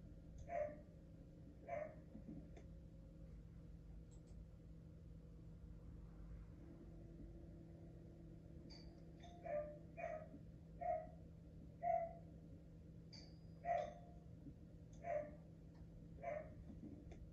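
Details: Asahi, a pet Border Collie indoors, barking at the doorbell chime out of habit during training against it: two sharp barks, a pause, then a run of about ten clipped barks roughly a second apart over a steady low household hum.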